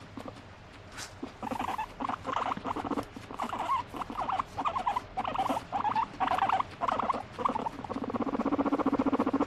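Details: Pet guinea pig squealing and chattering, wanting to be petted: a string of short squeaky bursts about twice a second, then a long pulsed purring rattle near the end.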